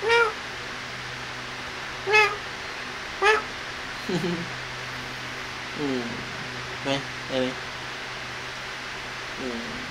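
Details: Kittens during play and feeding give a few brief high mews early on, then softer, lower, broken calls, over a constant background hum.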